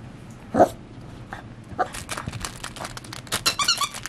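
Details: Six-week-old beagle puppy, a tan-collared pup from a second litter, playing indoors; a sharp squeal early, then a run of short high squeaks and yips packed together toward the end, with scuffling between.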